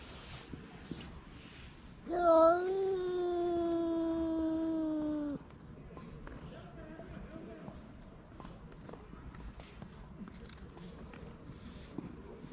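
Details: Street cat protecting its meal from being taken, letting out one sustained harmonic moan lasting about three seconds that dips slightly at the start and then slowly falls, followed by quiet background noise.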